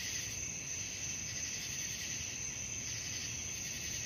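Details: An unbroken wall of high cricket trilling at night, used as a soothing sleep sound, with a constant sharp whine at the top, slight wavering beats lower down and a faint low rumble.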